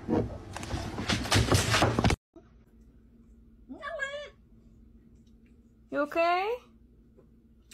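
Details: Cat giving two short, strongly harmonic meows about two seconds apart, each bending up and then down in pitch, following an opening burst of loud broadband noise; a steady low hum continues underneath.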